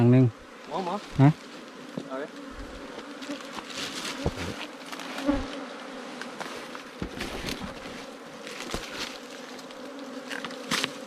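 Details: Small wild ground bees from a nest in an underground hollow or termite mound, opened by honey hunters; after a brief human voice, an even, low buzzing drone continues with scattered tapping and scraping.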